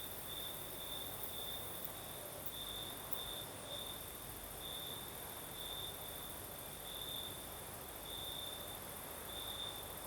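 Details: Night chorus of crickets in southern Crimea under a light night breeze. A sustained shrill trill pulses in short, brighter phrases several times a second, backed by a constant faint high-pitched hiss and gentle low wind noise.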